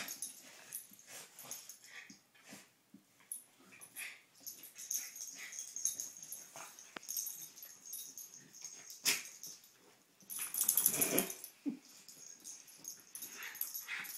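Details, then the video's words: Two pet dogs, Poppie and Nellie, having fun at play: quick breathy huffs, snorts and wheezing grunts come in short uneven bursts, with a louder scuffling flurry near the end, all indoors. "Dogs at Play"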